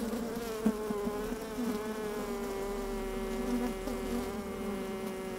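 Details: Worker honey bees in an open hive on a fine sunny day, heard from a microphone inside; a strong, even buzzing tone with clear harmonics, steady throughout, a single sharp tap early on.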